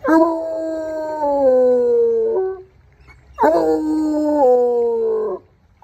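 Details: Coonhound named Trapper, a hunting dog, howling on a walk after picking up a scent to track. Two long, drawn-out howls, each about two and a half seconds and sagging slightly in pitch, are separated by a brief quiet gap.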